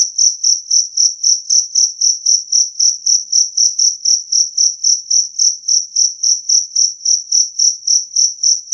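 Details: Two-spotted cricket producing a loud, clean chirp meant to scare off rats; over thirty high-pitched pulses in an even, rapid rhythm, a slight click early on, otherwise quiet.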